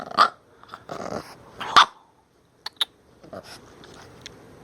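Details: Minka the bulldog, upset over wearing her new shirt, voices a tantrum: rough growly barks at the start, then short sharp clicks and softer grumbles with pauses between.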